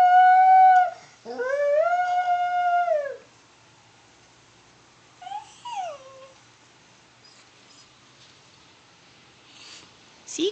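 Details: A pet dog sings along with an ambulance siren, giving a brief howl and then a longer sustained, even-pitched howl that droops at its close. A short falling yelp follows, then near quiet with a few soft whimpers.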